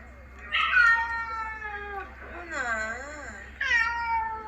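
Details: Ginger house cat from a New Zealand cat family, meowing sadly after a vet visit: three drawn-out, wavering meows with rich stacked harmonics, the middle one bending up and down, against steady low room hum.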